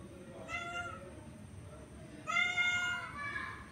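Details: Orange male cat wanting to mate with a female: two clear harmonic meows, a short level one followed by a louder, longer one that sags then rises at the end, against a low steady hum.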